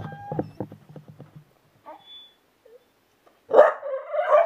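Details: Eight-month-old bull terrier playing with balloons indoors: a series of short low grunting pulses, a pause with faint squeaks, then a loud, drawn-out wavering whine-moan that rises and falls for about a second.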